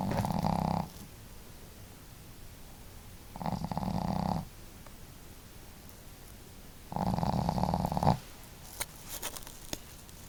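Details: Pet dogs Marimo, a female, and Daigoro snoring side by side at home; three rumbling, rattling snores roughly every three seconds, with soft breathing and faint clicks between them.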